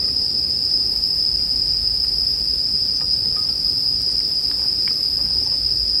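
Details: Continuous shrill ringing of bell crickets, one high sustained tone with no pauses, over a low bed of hiss and the scattered snaps and small pops of a crackling campfire, meant for relaxing sleep listening.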